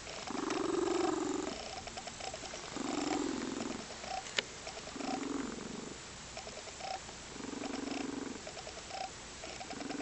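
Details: A contented female Lynx Point Siamese cat purrs in steady rumbling waves, with soft cooing sounds mixed in.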